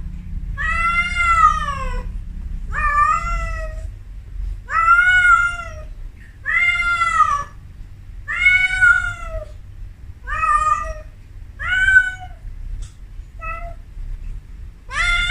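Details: A Persian cat in her first heat, named Amora, gives a long series of about ten yowls at a steady pace, each roughly a second long with a bent, falling tone. A few short, fainter cries follow near the end, over soft low background noise.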